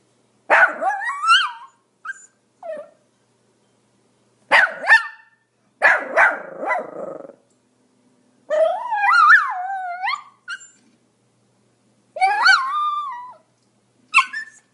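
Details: Pomeranian giving high, shrill barks in short bursts separated by silences, some stretched into wavering, whining yelps that rise and fall in pitch.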